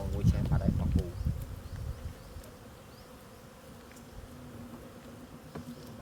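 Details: Honey bees buzzing during a honey harvest: a low, steady droning hum runs through most of the clip, after about two seconds of people talking close by at the start.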